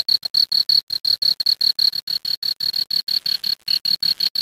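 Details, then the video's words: Cricket at night, near a creek. It gives a steady run of sharp, high chirps, nearly three per second, each a crisp pulse. The pace stays even with no other clear sounds. "Cricket Sound."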